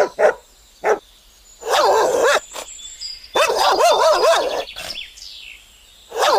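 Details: A Belgian Malinois readying to attack a man protected by thick clothes gives a few sharp barks, then long wavering, rough snarling stretches between further barks, with faint high tones behind.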